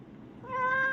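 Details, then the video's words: A domestic cat gives a single clear meow. It starts after a near-silent half second and holds a steady, harmonically rich tone to the end. "பேசும் பூனை cat complent"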